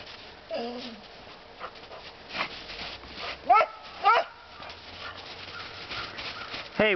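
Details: Dog in the woods, one of two pet dogs on a walk, letting out a brief whine, then two sharp rising barks about half a second apart and a final bark, with low talking and rustling between.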